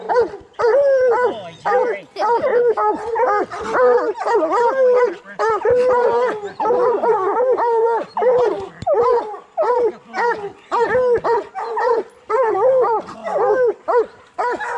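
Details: Bluetick and black and tan coonhounds training to hunt raccoons bay almost nonstop, a dense run of rising-and-falling chopped bawls that overlap as though several hounds call together, with only brief pauses.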